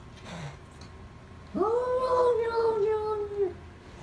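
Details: A cat lets out an odd, sustained moaning yowl of about two seconds, starting with a quick upward swoop, then holding level before sagging downward at the close, after a faint, low murmur.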